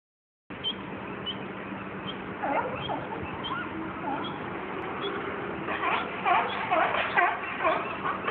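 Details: Sea lions fighting at Fisherman's Wharf, San Francisco, in 2012: quiet at first, then rough, overlapping barks and honks that come in bursts and grow louder and denser toward the end, over a steady low hum.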